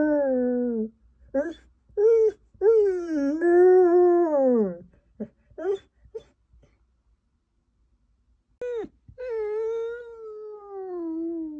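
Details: Male Samoyed left alone in a hotel room for a few minutes while food was fetched, howling dramatically: wavering, drawn-out tonal howls and whines, some rising then falling, broken by short yelps and gaps of silence, with a quiet indoor hum beneath.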